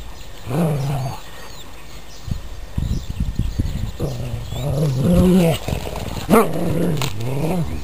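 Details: Domestic dogs at play, pulling a sock in tug of war. Low growls come in rumbling waves, broken by a rattling scuffle, then a sharp yelp-like snarl before the growling resumes.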